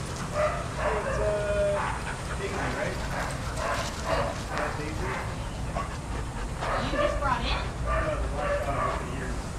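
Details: Shelter dogs at play in a daycare group, loud overlapping barks and high yips bursting out in quick clusters, some with whining tones, over a steady low hum of room noise.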